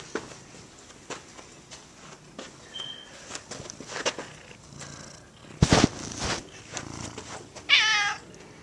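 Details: Pet cat Gato, roaming around the yard and house, gives one short, bright meow near the end, after several seconds of soft tapping, rustling and a loud burst of handling noise in an indoor setting.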